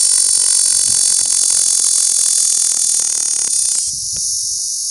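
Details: A male cactus dodger cicada (Cacama valvata) clings to a dead tree cholla skeleton on the morning of 18 June 2013 in Canon City, Colorado, giving a loud, continuous, high-pitched "buzz-saw" drone.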